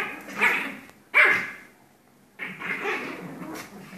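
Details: A pair of Pomeranians having fun wrestling, with two sharp snarling barks early on, a short silence, then a longer stretch of rumbling, raspy growls.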